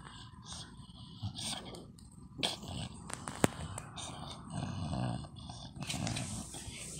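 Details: An English Bulldog makes low, rumbling growls and snorting grunts, swelling louder through the second half, with a person talking and scattered clicks and knocks in the background.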